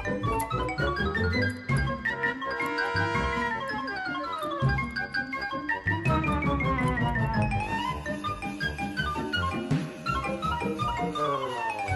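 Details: Bright mallet-percussion music with glockenspiel-like tinkling and a steady beat plays throughout, with no animal sounds.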